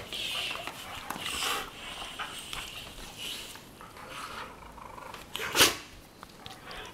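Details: Weimaraner sisters Jila and Faith, from Cyprus, wrestling on their bed one morning: breathy huffs and wheezy grumbles, ending with a sharp snort-like sneeze, over soft rustling.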